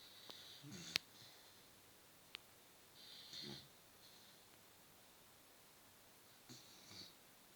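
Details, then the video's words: Beagle asleep in an apartment giving softer, uneven rasping snores at irregular gaps, with a couple of sharp clicks early on in a quiet indoor room. "Бигль храпит на всю квартиру/ Beagle snores the whole apartment"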